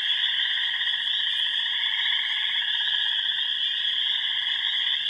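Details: A dense, unbroken chorus of many frogs at remote ponds in the Yellow Dog Plains, Upper Michigan: overlapping high pulsing trills from wood frogs, spring peepers, green frogs, gray tree frogs and toads, with no single caller standing out.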